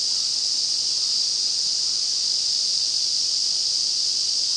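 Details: Massed August chorus of Ezo cicadas in the Afan Woodland forest at Shinanomachi, Nagano, Japan, in high summer. A dense, continuous shrill buzz holds at one pitch and volume throughout, like an uninterrupted wall of sound, with nothing else audible.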